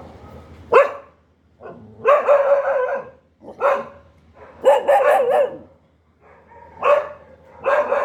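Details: Dog barking in loud, harsh bursts with strong harmonics, some single barks and some rapid runs of three or four, separated by short pauses across eight seconds; no other sounds clear.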